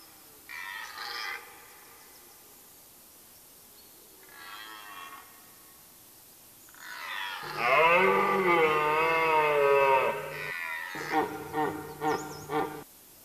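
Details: Red deer hart during the rut, late September, woodland of Mecklenburg-Vorpommern, Germany: two quieter harmonic calls, then a long, loud, strained roar of stacked harmonics, ending in a series of short throaty grunts.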